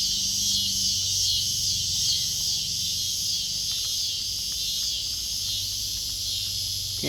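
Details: A backyard chorus of cicadas drones without pause, a dense, hissing, high, faintly pulsing buzz over a low hum, with kittens nearby; a person's voice comes in at the very end.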